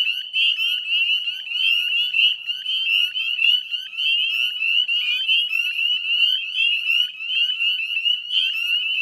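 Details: Dusk chorus of northern spring peepers beside the Chezzetcook salt marsh wetlands, Nova Scotia, in May 2020; many frogs give sharp, upslurred piping notes that blend into an unbroken ringing drone.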